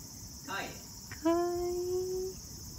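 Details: Stray cat with a fringe of fur like bangs, very sensitive to sounds and hard to make eye contact with; a single drawn-out, steady meow lasting about a second, slightly rising, after a brief softer noise, over a constant high hum.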